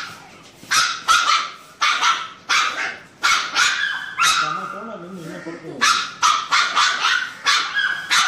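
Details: Labrador Retriever puppy crying in fear of an injection at vaccination: loud, sharp, high yelps in rapid bursts, several per second, with brief pauses and a short human voice in the middle.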